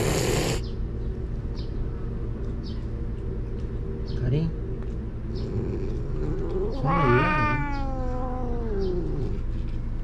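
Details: Ill-tempered stray cat Karin in a Japanese park, threatening after being forced out of the waiting room at six; one long drawn-out harmonic yowl that wavers and slowly falls, with a brief earlier cry, over constant low rumble.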